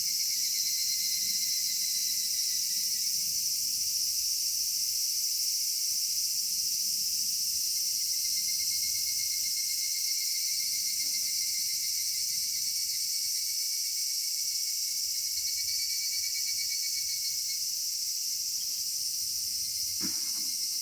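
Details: Cicadas singing on a summer evening in a cedar forest: a steady, unbroken high-pitched shimmering drone with several layered buzzing tones, holding level throughout, with faint low rustling beneath.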